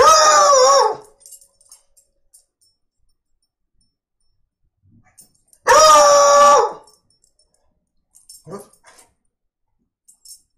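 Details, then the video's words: Foxhound described as singing, indoors: two long, wavering, strongly harmonic bays about five seconds apart, each close to a second long, followed by a few faint short knocks and rustles in an otherwise quiet room. "Foxhound bark"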